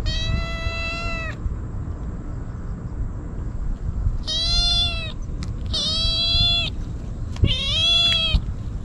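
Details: Stray kitten wolfing down Churu and Sheba treats, crying out desperately without letup: four loud, drawn-out meows with rich harmonics, the last ones rising slightly, over low rumbling background noise.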